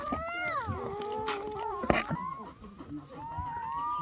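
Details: Thin, drawn-out cries from newborn German Shepherd pups, part of a litter of ten born overnight to Betty, glide downward then level off, mixed with a nearby human voice and a sharp knock.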